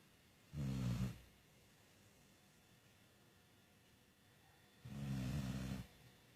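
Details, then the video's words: Putush the dog snoring: two deep, growly rumbling breaths, each lasting about half a second to a second, spaced about four seconds apart, with near-silence between them. "Putush(dog) snoring like humans!!!"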